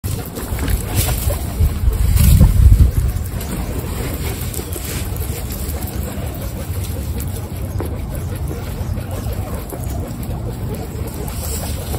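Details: Heavy low rumble of wind buffeting the microphone, with a louder gust near two seconds and faint hiss above.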